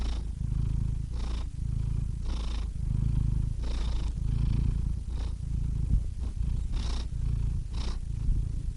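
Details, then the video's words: Contented cat purring, a deep throaty vibration rising and falling with breathing, a few slightly irregular breaths, heard up close in quiet. "Cats Purring Soothing Sound Effects (Relaxing Cat Sounds)"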